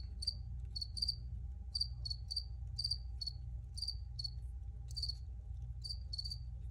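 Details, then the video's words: Cricket chirping, original recording: sharp high chirps, often doubled, recurring about three times a second with small gaps, set against a steady low-frequency hum and a faint sustained tone. "Free Cricket Sounds for Re-Use or Relaxation"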